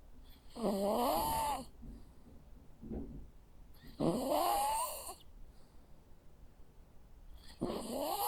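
A sleeping Jack Russell Terrier snores, each breath a raspy drawn-out snore with a squeaky, rising whistle.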